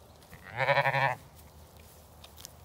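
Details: Lamb outdoors on a sunny day, let out to play on a regenerative farm in County Kilkenny, Ireland; a single loud bleat of about half a second with a wavering, harmonic-rich tone, then quiet field background.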